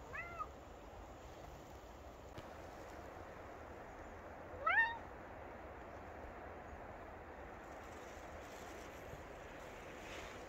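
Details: Maine Coon cat Buster out on an adventure in a forest on a spring day, giving two short, rising meows, one at the very start and a slightly louder one midway, against a quiet, steady outdoor hiss.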